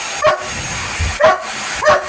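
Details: Police dog barking indoors at a running vacuum cleaner: three sharp, loud barks spaced about every 0.8 seconds over a steady mechanical hum.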